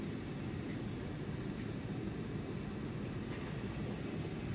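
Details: A steady, dense low rumble like a running vehicle or engine fills the whole stretch, with no animal voice heard.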